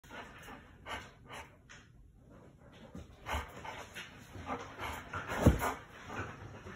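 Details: A Giant Schnauzer pants in soft, breathy broadband puffs at uneven intervals, with quieter stretches between them and one sharper, louder burst near the end.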